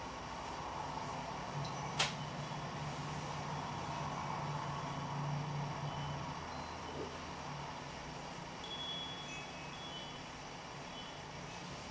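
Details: Steady low hum and faint tinkling chime-like tones with one sharp click, and no clear animal calls.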